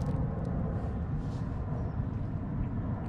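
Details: Dense low rumbling and handling noise fills the recording throughout, with no hissing or other animal sounds.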